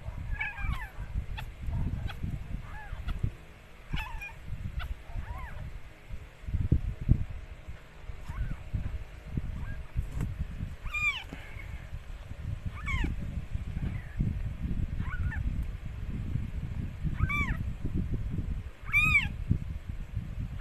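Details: Mikey, a stray rescued cat, gives birth to four kittens; faint, scattered, arching mews come and go throughout, a few louder ones toward the end, beneath heavy low-pitched background noise.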